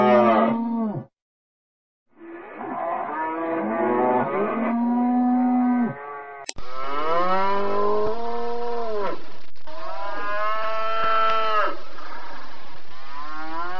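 Cattle give long, deep, harmonic moos, with several drawn-out calls that swell and fall away.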